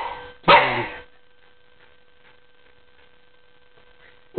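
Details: Male Norwich Terrier, eight months old, playing and attacking pedicure paws before his manicure; one rough bark early on, then near-silence, another bark starting at the very end, a voice urging him to go get the paper.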